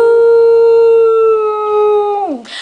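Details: Nala, a pet Samoyed, howling along as people sing Happy Birthday to her: one long steady tonal howl held level for over two seconds with rich harmonics, then sliding down at the end.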